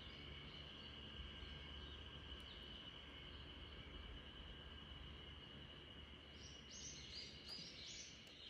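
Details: Spring cicadas droning together in a backyard as RunRun the Great Pyrenees dozes off; the high continuous hum stays level, with short chirping bursts near the end and a low rumble underneath.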